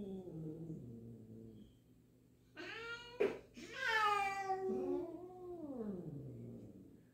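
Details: Resident black cat and new black-and-white cat meeting at home, the older one uncertain; soft low murmurs, then sharp loud meows with a brief click, ending in a long wavering falling yowl.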